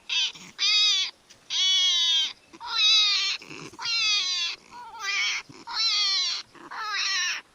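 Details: A hedgehog screams in distress while under direct attack by a predator (foxes, badgers, stoats or owls), at night: shrill, wavering wails, each under a second, about eight in quick succession, much like a crying human baby.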